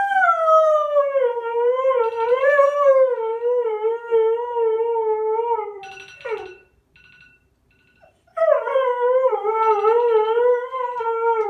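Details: Three-and-a-half-year-old male Siberian husky answering a phone alarm with sustained wavering howls, a six-second drawn-out note falling gently, a brief alarm beep and pause, then another long quavering howl.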